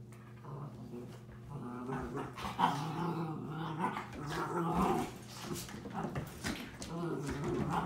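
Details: Two 7-month-old Miniature Schnauzer puppies play-fighting indoors, trading throaty growls and short snarling yaps that swell and fade, with a person's voice faintly mixed in and a constant low hum.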